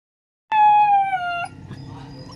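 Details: A two-month-old Alaskan Malamute gives a single clear, slightly falling howl lasting about a second.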